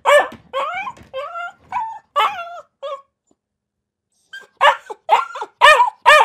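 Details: A dog gives high, yelping barks with falling, whiny tones, a pause of about a second and a half, then several sharp, louder barks.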